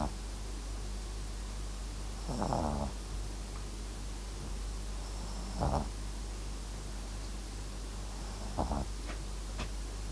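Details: Max, a Papillon and Japanese Chin mix dog, snores while asleep: three soft raspy snores spaced about three seconds apart, with a constant low background hum.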